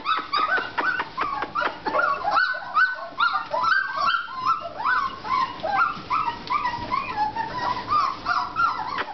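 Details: American Bulldog puppies, four and a half weeks old, give a steady stream of high, wavering whimpers and short yips that overlap one another, several voices rising and falling with barely a pause.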